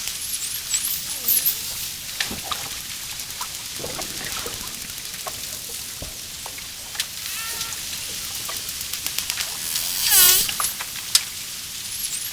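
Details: Dolphin heard underwater, with dense trains of sharp clicks throughout. Faint high whistled contours and arching tones appear in between, and a loud pulsed burst comes near the end.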